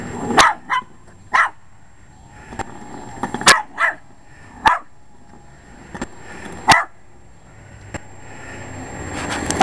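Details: Short-legged male Jack Russell Terrier attacking the lawn mower: a run of sharp, punchy barks, some doubled, spaced unevenly over a droning motor that grows louder toward the end.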